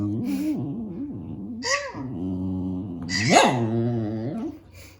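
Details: Indoor pet dog objecting to squeaks from a cat mouse game on a tablet, giving long, wavering, vocal whines that rise and fall, with a sharp upward yelp near the middle and a brief high squeak earlier.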